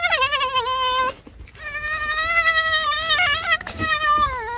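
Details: Alice, a pet fox, whines in a complaining mood: long nasal drawn-out cries with strong harmonic stacks, one about a second long, a short break, then a sustained wavering whine over three seconds, ending slightly falling.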